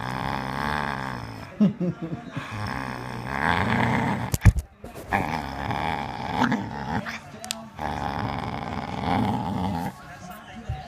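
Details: A Bull Terrier grumbles and growls in rolling, voiced bursts, teasing to invite play with a handle rope ball.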